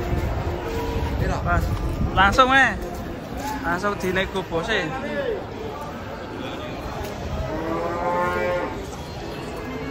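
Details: Fat giant cattle unloaded from a truck; wavering calls and shouts early on, then a sustained harmonic moo near the end amid crowd-like background noise.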